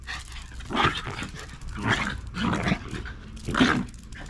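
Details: Quiet play fight between round Shiba Inu parent and offspring in a backyard, aiming at the cheeks instead of the neck: four short, gruff, throaty growls roughly every second, loud and close, with faint rustling between.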